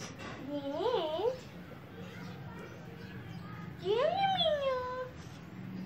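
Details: A cat billed as a jumper cat gives two drawn-out meows, the first short and wavering, the second rising then gliding slowly down for about a second, over a low indoor room hum.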